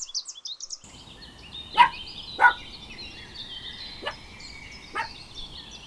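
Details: Puppies running and playing together on a green meadow. Four short, sharp barks come at uneven intervals over steady twittering birdsong.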